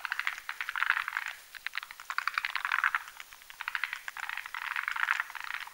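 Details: Night chorus of forest green tree frogs spawning together in a foam nest on a branch above a marshy mountain pond; rapid clicking rattles swell into three loud bursts, with several frogs calling at once.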